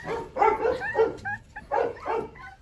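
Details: Hungry Rottweiler puppies from a litter of eleven, on deworming day, squealing for food; short high yelping whimpers come in two bursts of several cries each, with quiet gaps between.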